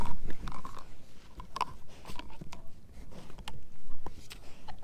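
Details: German Shepherd mix Edu working on a dehydrated pig ear chew inside a small room; sharp scattered crunches and wet bites at an uneven pace, quieter than before, over a faint background hiss.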